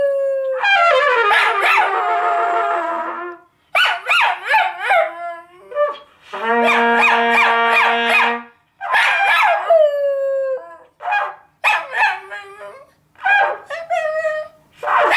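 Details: A pet Schnoodle, Gary, chatters at home in a family conversation. Rapid bursts of yips and groaning yowls, a steady whine in the middle, then more short, falling moans in irregular clusters.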